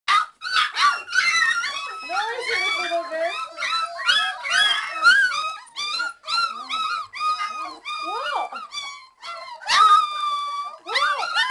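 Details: Several three-week-old Old English Sheepdog (bobtail) puppies whining with hunger for their mother's feeding; a dense chorus of overlapping high, wavering whines and yelps, rising and falling, nearly continuous throughout.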